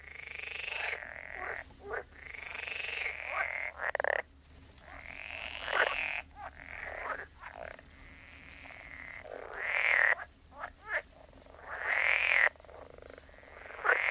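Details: Several frogs croaking: drawn-out buzzy, nasal croaks in bursts of one to two seconds separated by brief silences, a few rising whiny notes, steady low hum in the background.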